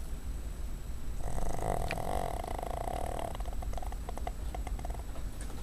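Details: ['Pet dog Cuddles, female, asleep on a desk, gives one drawn-out raspy snore lasting about two seconds, then soft breathing noises against a low indoor hum.']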